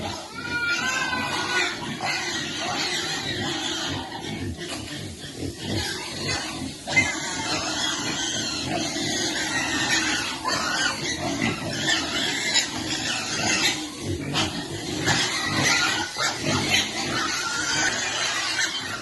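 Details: While feeding her young, a pig keeps up steady rhythmic grunting, with high squeaky piglet noises over it and occasional human voices.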